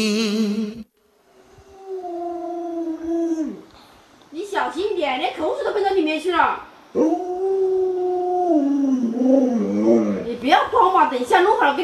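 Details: Pet Alaskan Malamute named Luoluo, a dog with 36 tricks, howls in two sustained, smooth tones that sag in pitch at their ends, separated by a burst of choppy, talking-like yowls and whines.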